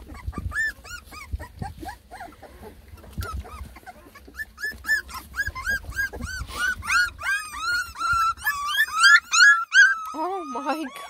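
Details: A litter of ten lemon and tricolor Beagle puppies whining over their first try at food; sparse yelps build into a dense run of rising-falling whimpers, with faint music underneath.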